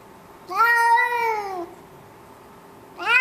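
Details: A pet cat complaining about being put in a carrier before a trip to the vet, indoors in a condo on September 19th, 2011: one long, drawn-out, slightly falling meow, then a pause and a second meow starting.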